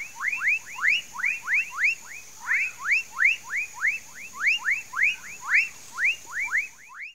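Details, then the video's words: Amphibian chorus in a Mauritia flexuosa palm tree swamp, Pedro Gomes, Mato Grosso do Sul, Brazil. Many curved, rising-then-falling notes overlap in quick pulsing waves, with a thin constant high-pitched hiss in the background. "Palm tree swamp, amphibian sounds"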